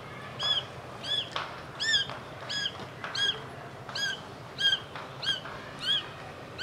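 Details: Young Persian kittens, filmed across their first days to about three weeks old: high, thin arched mews repeated roughly every two to three seconds, about eight calls in a row over a soft hiss of background noise.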